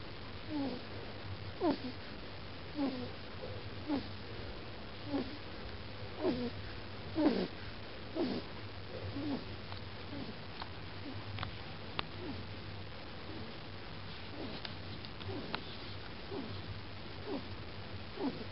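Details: Blue-white Persian kitten, 13 weeks old, in Holland in 2011, falling asleep in a funny position and making weird noises: soft short snuffling sounds repeated roughly once a second over a steady low hum.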